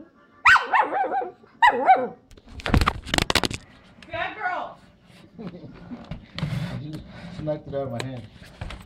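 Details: Tracie, a female pet Chihuahua, in an angry mood knocks a phone from a hand. Two high barks open the clip, then heavy thumps and rattling handling noise, with a man talking throughout.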